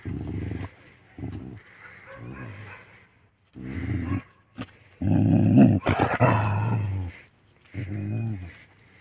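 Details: Village desi dogs meeting: deep rumbling growls in bursts of about a second, separated by short pauses, with a louder, harsher snarling stretch near the middle and faint speech in the background.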